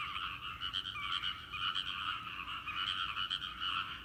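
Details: Many frogs croaking together in a rice field, a steady overlapping chorus of rapid rattling pulses that barely pauses across the whole stretch.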